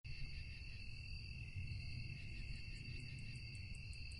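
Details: Crickets calling at night: steady, shrill trills hum in layered high bands, and from mid-clip a separate caller adds a fast series of very high, evenly spaced chirps. A constant low rumble sits underneath.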